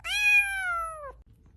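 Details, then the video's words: Pet cat giving one loud, clear meow of about a second, held level and dropping slightly as it ends, in a quiet room. "kucing terlucu"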